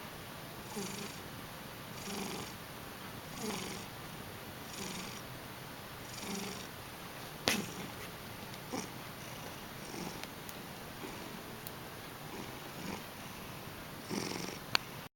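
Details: Frida, a male cat, sleeping and snoring indoors, recorded April 2010; soft, breathy snores repeat steadily about every one and a half seconds, with a few sharp clicks in between.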